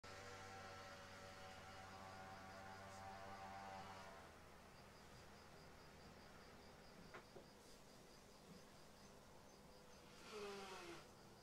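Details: Asian giant hornet (Vespa mandarinia) at a honey-baited trap near honey bee hives; a deep, steady wing buzz drones for a few seconds, then fades into quiet background hum.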